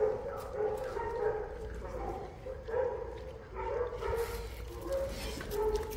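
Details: Boerboel, also called South African Mastiff, of the pair Enzo and Diva in Egypt, makes repeated nasal whimpers and yips that rise and fall every second or so, with faint voices and rustling behind.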